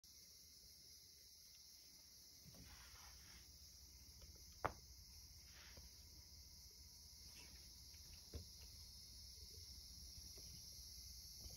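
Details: Cicadas on a summer evening, heard while a cat lies on an earthen floor indoors: a steady, high-pitched buzzing drone runs unbroken through the whole stretch, with a few faint knocks and clicks nearby.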